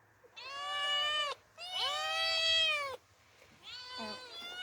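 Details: Pair of orphaned female cats out in open nature for the first time, giving loud, long, wavering meows; two sustained calls then a softer third, with faint low background hum.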